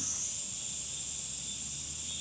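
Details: Cicada singing in summer, a steady, unbroken high-pitched buzzing drone that holds the same level without pulses or pauses throughout, with no other clear sounds.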